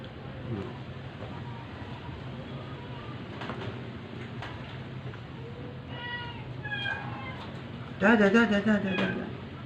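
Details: Dying stray cat being force-fed, with a reassuring voice repeating comforting words in Filipino and English; thin whining meows appear midway, then a loud, strained run of wavering cries near the end.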